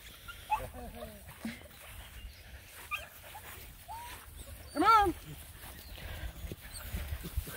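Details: Nine Black and Tan Coonhound puppies on a hike around a pond: scattered high, short whines and yips, then one loud arching yelp with rich harmonics, while a person talks to them outdoors.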